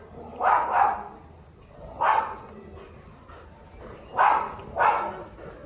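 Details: German Shepherd, recorded 6 October 2025, giving sharp barks, some in quick doubled pairs, spaced about every second or two, with a low background hum.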